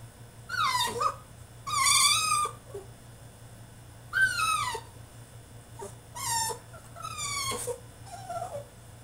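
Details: ['French Bulldog throwing a tantrum in his cage: a series of high, descending whines and yelps, roughly five bursts over nine seconds, each sliding downward in pitch, with a steady low hum behind.']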